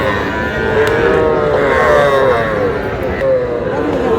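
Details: Young Sahiwal bull and heifer calves being bought by a farmer from Shariatpur, Bangladesh; drawn-out, slightly wavering lowing calls rise and fall, several overlapping, over steady background chatter and crowd noise.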